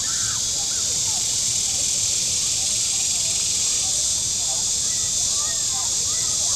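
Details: A loud, unwavering high-pitched buzz of cicadas on the shore of Table Rock Lake, southern Missouri, on a very warm Saturday. A few scattered faint chirps from another animal are heard beneath it.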